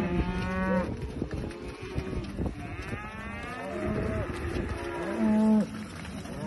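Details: Aberdeen Angus cattle on a cattle farm, several overlapping moos with rich harmonic stacks, some sustained and level, others arching up and down, from more than one animal.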